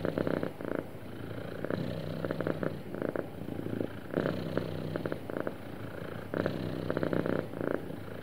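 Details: Contented house cat gives a smooth, continuous purr: throbbing low buzz grouped into breathing cycles of about one to two seconds, with soft pauses between, no other sounds.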